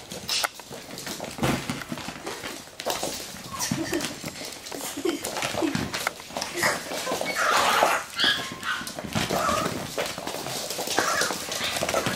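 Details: Playing Russian Toy pups give scattered short yips and thin whines, busiest in the second half, over steady scuffling and clicking movement with a little human speech in the background.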